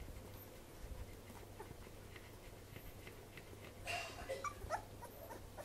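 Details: Newborn Welsh corgi puppies drinking their mother's milk; a few thin, high squeaks and short whimpers rise near the end over steady low rumbling and soft nursing noises.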